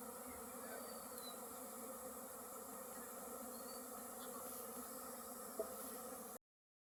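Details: Honey bees swarming as honey hunters collect their honey: a steady, droning hum with stacked tonal layers, unchanging in loudness throughout, broken only by one brief click near the end.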